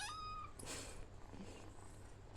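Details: A pet cat at home gives a short high meow with clear stacked harmonics, then a burst of noise as a woman talks to it in Malayalam and gives commands such as sit and stop.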